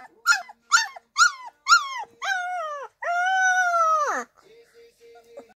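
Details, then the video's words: A 2-week-old Irish Wolfhound puppy, Lola, yelps four quick rising notes, then stretches into two long howls, the final one steady for over a second before sliding down, followed by faint whimpers. "Baby Lola howling 2 week old Irish Wolfhound"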